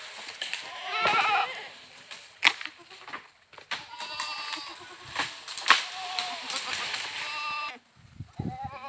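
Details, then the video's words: Goats bleating: a wavering, harmonic bleat near the start, then a longer run of shaky, nasal bleats through the middle, broken by sharp clicks and knocks, fading to quiet rustling at the end. "Goats Funny Sounds"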